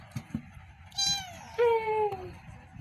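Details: Two kittens meowing: a thin high mew, then a louder, lower drawn-out meow that slides downward, with soft taps and a voice speaking Vietnamese nearby.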